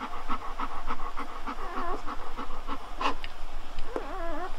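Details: Newborn Golden Retriever puppies, just after birth, give short, repeated squeaks and a wavering, high whine, which the owner likens to guinea pigs.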